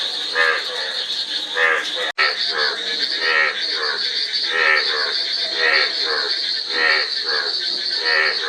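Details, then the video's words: Frogs calling in a chorus: rattling, pulsed croaks overlap roughly once a second over a steady high-pitched buzzing drone, with a brief silent break near the two-second mark. "Frog Sound--Frog Sound Effect 15 min"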